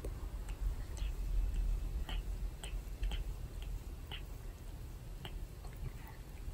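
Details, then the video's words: Pet cat grooming a young man's hair and skin indoors, while he puts up with the pain. Rasping, gritty lapping licks come as sharp dry clicks about three times a second over a steady low room rumble. "毛づくろいされました Cat keeps grooming owner"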